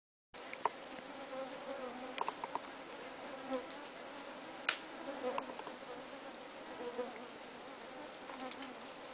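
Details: Mopani flies (Plebeina hildebrandti), a very small stingless bee, swarming in the Southern African bush in summer while seeking moisture around a person: a constant droning buzz with steady low hum bands, plus scattered brief clicks and taps.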